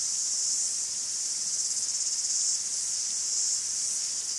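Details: In a Greek forest, many cicadas produce an intense, high-pitched buzzing hiss with a fast pulsing tremor in the middle, steady and continuous without other sounds.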